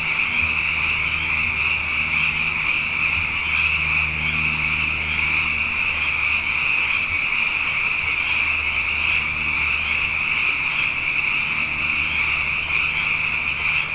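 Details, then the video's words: Nighttime chorus of many frogs, abundant after two wet years, forming an unbroken high pulsing trill that never pauses, with a low droning hum and occasional soft knocks underneath. "Frog Songs: Na Mele o nā Paloka"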